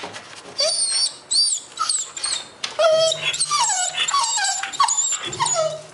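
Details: Whisky, a pet dog indoors, begging its owner every morning not to leave for work: a run of high, wavering whimpers and yelps with sliding, bending pitch, some overlapping, over a faint low hum.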